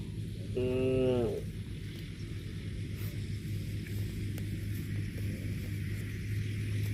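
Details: Cow eating grass lets out one brief, clipped moo of under a second near the start, rich in overtones and falling slightly at the end. Steady low rumble and rustling noise follow for the rest of the recording.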